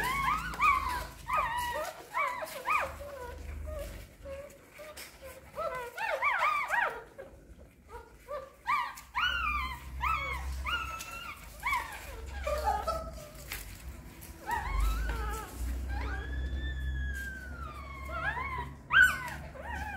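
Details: Hungry newborn puppies nursing from their mother dog indoors: a stream of high, arching whimpers and squeaks, some drawn into longer whining glides, overlapping in bursts with short pauses and a low background rumble.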